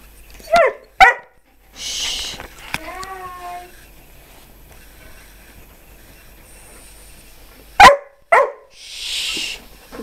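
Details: Skye, a female Old English Sheepdog just over seven months old; two short sharp barks open, a drawn-out wavering whine follows, and two more barks close after a long quiet gap, with breathy huffs between.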